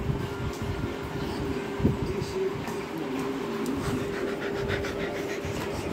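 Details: Continuous broadband noise with a steady low tone and faint rustling, no barking or clear dog sound rising above the hum.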